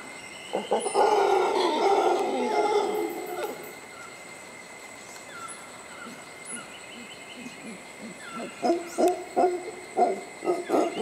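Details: Mantled howler monkeys resting in shade at Tirimbina Biological Reserve near La Virgen, Costa Rica, a few feet from a suspension bridge; a deep rasping roar for about three seconds, then a run of short pulsed grunts, with a steady insect whine behind.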